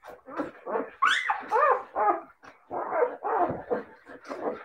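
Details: Siberian Husky puppies giving a rapid run of high, squeaky yips and little barks, several bending up and then down in pitch, fired off at an uneven pace.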